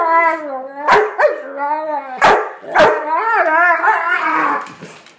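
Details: Dog vocalizing during play with another dog, producing long warbling howl-like moans that bend up and down in pitch, broken by a few abrupt barks, continuing steadily throughout.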